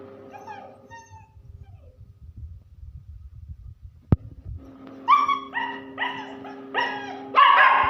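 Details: German Shepherd puppies: after a quiet stretch of low rumble and a sharp click, a quick run of about five loud, whiny yelps, each bending up then down, with a steady hum underneath.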